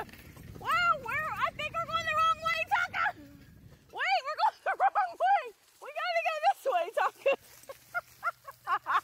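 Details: Alaskan Malamute Tonka pulling a beach bike along a river, giving drawn-out, wavering woo-woo vocalizations in three bouts, each a rising-and-falling harmonic howl-talk broken into shorter yips near the end, with outdoor background noise.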